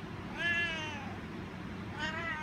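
A Siamese cat gives two long, insistent meows, asking for a treat.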